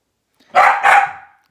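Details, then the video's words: Corgi barking while protecting its owner from an elliptical machine indoors: a loud double bark, two harsh bursts in quick succession within about a second. "Corgi protecting Mama from elliptical"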